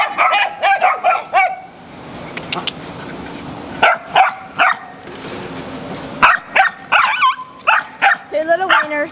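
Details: Dogs at a rabies control shelter in Jackson, Tennessee, including a German Shepherd, Wiener Dogs, a Walker Coonhound and puppies, barking in quick bursts with short yips, a woman's voice calling and chatting among them.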